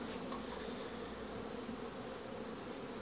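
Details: Honey bees at Langstroth-Root hives during a winter cleansing flight, though some colonies are slower to start. A constant low hum with smeared overtones, opening with two short high knocks, then an even drone.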